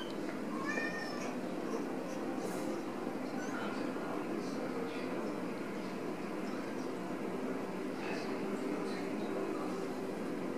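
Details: A Ragdoll mother cat carrying her kitten gives a few short, muffled meows over a steady low indoor rumble.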